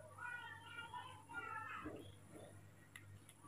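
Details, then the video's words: Baby monkey, hand-reared, angry when made to walk on the floor; harmonic whining cries repeated in short bursts, rising and falling, then a lower squeal, with a woman speaking softly indoors. "very angry when told to walk on the floor"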